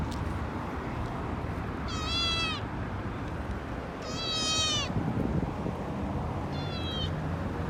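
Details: Kitten with its mother, both street cats living outdoors, giving three drawn-out, rich harmonic meows, the middle one longest and wavering, the last fainter, against continuous low urban rumble.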